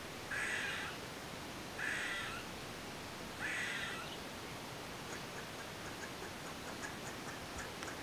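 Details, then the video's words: Eastern gray squirrel, recorded with a Nikon D3500 camera, giving three harsh, nasal calls spaced about one and a half seconds apart, each with a buzzy rasping edge, followed by quiet with faint ticking sounds in the background. "Gray squirrel sounds"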